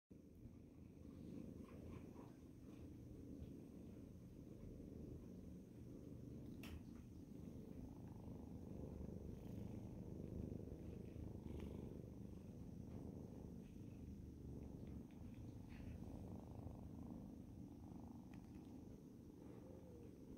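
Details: A Scottish Fold mother cat and her kittens purr together at the same time, a steady low rumbling drone with soft fluttering pulses throughout.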